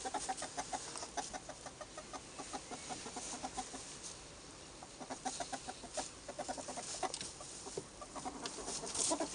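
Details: Several albino ferrets making noise: rapid, clucking pulsed chatter, several bursts per second, running in uneven bouts with short pauses, plus light rustling.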